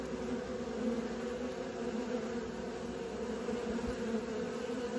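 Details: Young honey bees practising flight give off an unbroken, even hum, a low steady drone layered in bands, with no pauses or other sounds.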